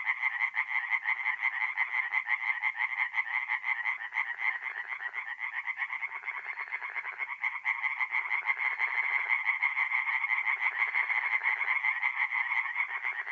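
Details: Singing tree frogs fill a north-east Italian forest pond by night in mid-April, many voices layered into a steady, buzzing, rapidly pulsed chorus that never lets up, with faint lower croaks weaving in and out beneath.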